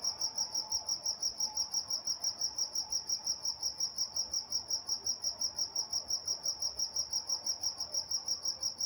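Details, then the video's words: Crickets at night in Walnut, California: a high, clean chirp repeated steadily about three times a second, very regular throughout, over a faint low background hum. "Nature Sounds Night Time Crickets in Walnut, California"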